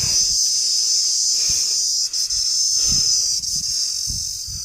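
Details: Insect calling from inside an old well: a steady, unbroken, shrill high-pitched buzz that holds one pitch throughout, with soft low thumps scattered underneath.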